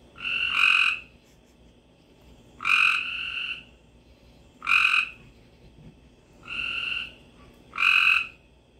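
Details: Florida frogs and toads calling after a rainstorm in late spring: short nasal, honking notes repeated roughly every one to two seconds, fairly high-pitched and buzzy, over a faint steady background hum.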